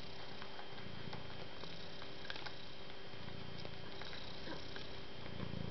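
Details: A domestic cat purrs quietly, its low, even rumble pulsing under a soft hiss, with a few light ticks and clicks over it.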